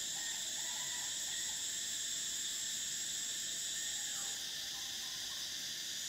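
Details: A summer drone of cicadas holds a shrill, even buzz with stacked tones. The highest layer stops abruptly partway through, leaving a softer hiss. A few faint chirps sit low beneath.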